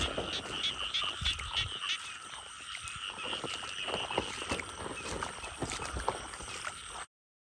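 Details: Calling frogs met on a night search for frogs: an unbroken high trilling chorus with a fainter lower band, punctuated by ticks and soft knocks from handling, cutting off abruptly at the end.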